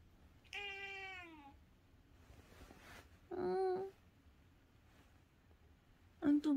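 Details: Calico cat visiting early in the morning, as if asking for something: three separate meows, the first long and falling, the second shorter and steady, the last brief and sharp, with quiet room noise.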